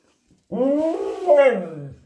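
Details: Pet husky, one of two kept dogs, vocalizing when asked what color it sees: a drawn-out, wavering, voice-like howl rising and falling over about one and a half seconds, indoors.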